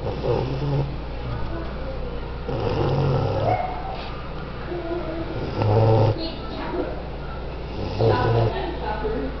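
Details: A sleeping male English Bulldog snores in deep, rumbling breaths that return roughly every three seconds.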